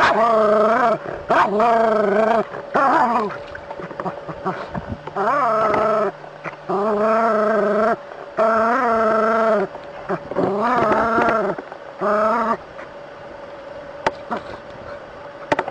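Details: Dog confronting a snake, giving drawn-out, wavering, whine-like barks about a second long, roughly eight in fifteen seconds with short gaps between them, over a steady faint background hum.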